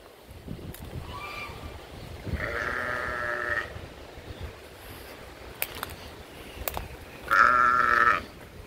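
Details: Sheep bleating twice: a wavering, nasal bleat of about a second, then a louder, longer one near the end, each with strong stacked harmonics, separated by quiet stretches with a few sharp clicks.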